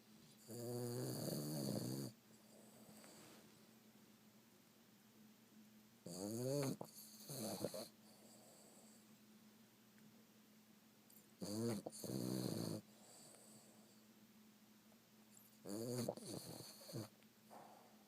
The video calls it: Snoring Boston Terrier